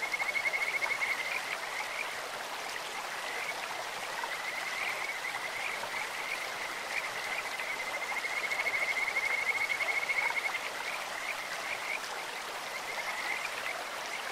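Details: Kajika frogs in a clear stream give high, pure whistled trills, one short burst at the start and a longer pulsing run in the middle, against constant broadband babbling of flowing water.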